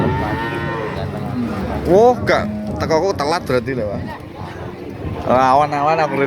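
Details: Cattle at the Pahing cattle market in Nganjuk, East Java, Indonesia; a couple of drawn-out wavering moos rise above busy market chatter, with clapping and music nearby.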